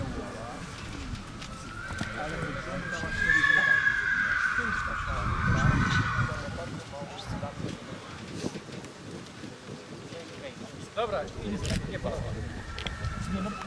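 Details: Mare Tajlandka, born 2007 (Jape – Tajlandia), at the SK Krasne autumn inspection, 15 September 2017: a quavering, high whinny rises and fades midway through, with Polish speech, hoof sounds and outdoor noise throughout.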